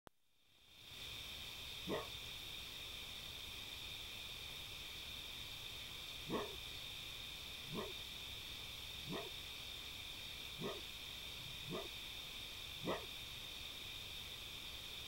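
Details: A visiting red fox (Vulpes vulpes) barks at a cat, sharp single barks at irregular intervals over a steady high-pitched background hum.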